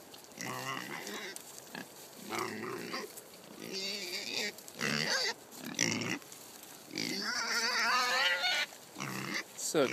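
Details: Kunekune pigs on a farm being given pumpkin, one overexcited and dancing noisily: bursts of loud, wavering squeals and grunty calls come in short runs with brief gaps, the longest squeal near the end.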